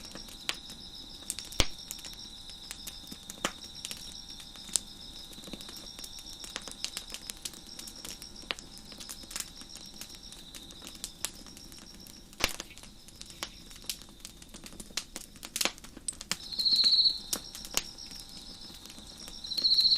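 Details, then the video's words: Crickets on a deck beside a crackling fire keep up a continuous high, thin ringing hum throughout. Brief louder buzzy trills appear near the end. Frequent sharp crackles and pops from the fire are scattered across the clip. "Crackling Fire on the Deck with Crickets Chirping in the Background"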